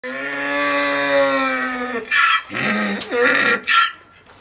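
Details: Penelope the donkey demanding food before mealtimes: a long, steady, harmonic drawn-out tone for about two seconds, then a run of harsh, choppy honking bursts rising and falling, a braying rhythm.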